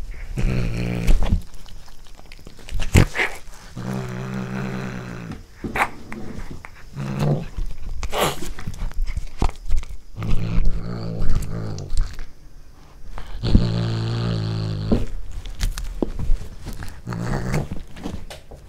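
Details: A pet cat eats corn for the first time and growls while eating. Low, rumbling, harmonic growls come in bursts of one to two seconds, about eight of them, mixed with crunching and chewing sounds.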